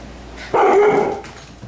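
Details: A Siberian Husky gives a single loud, harsh bark lasting about half a second at playing puppies.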